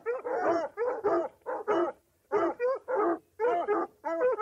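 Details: Dog on a hunt or chase: paired, ringing yelps with a wavering pitch, repeated about one and a half times per second after a brief pause.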